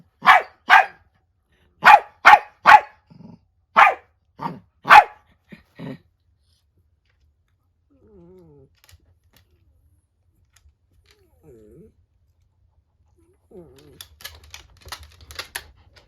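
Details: Angry clash between an aging female miniature dachshund and an adult female Chiwax mix at home: a rapid volley of about nine sharp, high barks in six seconds, then near silence with faint whines and rustling.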